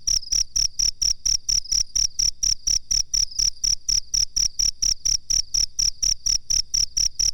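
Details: Master recording of a cricket used to train birds; bright, shrill chirps pulse at a regular pace of roughly two per second throughout, clean and uninterrupted.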